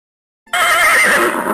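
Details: A horse gives one loud, high, quavering whinny that starts abruptly after a moment of quiet and shakes along for roughly a second.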